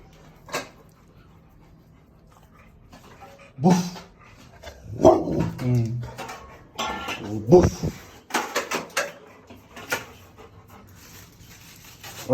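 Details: A female Rottweiler makes the odd, low, grumbling and wavering vocal sounds she often makes, between bursts of a person's speech.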